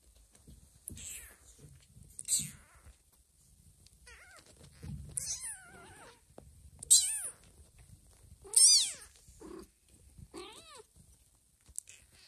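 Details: Domestic cat meows while a mother cat carries her newborn kitten to a hidden place, two kittens in the litter; about seven high, thin, harmonic-rich meows, each rising then falling, spaced one to two seconds apart, with soft rustling between.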